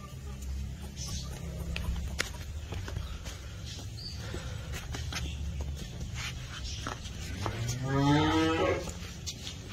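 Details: Cattle moo from a herd of twelve Holstein Friesian and Jersey heifers: a single drawn-out, rising moo near the end, over a steady rumbling background with scattered clicks and knocks.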